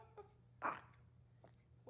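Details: Maltese indoors on a hot summer day gives one short, sharp bark midway, with faint low household hum and a few quiet thumps around it.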